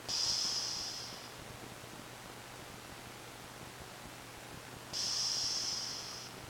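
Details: Ricky, a pet cat, snoring in sleep: high, thin whistling wheezes on the breath, two of them about five seconds apart, with quiet hiss between.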